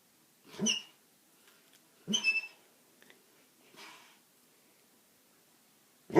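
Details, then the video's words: A male Basset Hound snoring while asleep indoors: three breathy snorts about every one and a half seconds, each with a squeaky, whistling nasal tone, fading quieter by the third breath. "Snoring basset hound"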